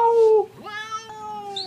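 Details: Domestic cat meowing indoors: a steady, level meow, then a longer meow that rises at its start and holds evenly to the end. The room is otherwise quiet.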